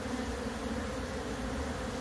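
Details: Continuous low droning of a wild bee swarm from a split colony, with the queen placed inside the new box while the rest move in during relocation; the hum is broad and even throughout.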